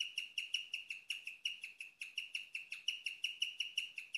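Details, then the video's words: A house guinea pig sow chirping during the night, an unusual sound for the species: evenly spaced, sharp, tweeting pulses at a constant high pitch, roughly four each second, clean background. "Chirping of my sweet #guineapig"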